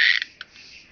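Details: Chabrier's marbled bush-cricket recorded at Arzo, Switzerland, on 4 August 2023 with an ultrasound detector; a short dense buzzy burst opens, then two brief clicks follow, and the rest fades into near silence.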